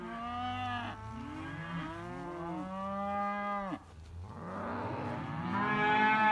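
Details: Simmental heifers and bull calves penned together call in a run of overlapping moos, one sustained bellow ending abruptly, then a rougher, louder moo building toward the end.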